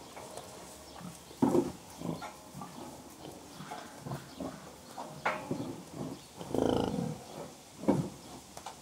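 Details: Contented pigs giving gentle grunts: low, soft bursts scattered unevenly, with stronger grunts near 1.5, 5.3, 6.7 and 8 seconds over a steady low background hum.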